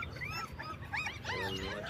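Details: Black German Shepherd puppies, 20 days old, whimper in a litter: several thin, high, curving whines overlap, sliding up and down and crowding together in the second half, over a soft steady background hiss.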